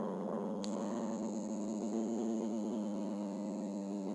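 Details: Continuous low, vibrating dog growl running the whole stretch without a break, with a single sharp click near the start.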